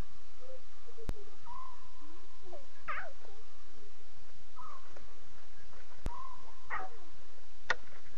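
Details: Night-time calls of lion cubs at 2:40 a.m.: a string of short, thin mews and wavering whines, some level and some dipping, scattered across the clip with two sharp clicks, over constant hiss.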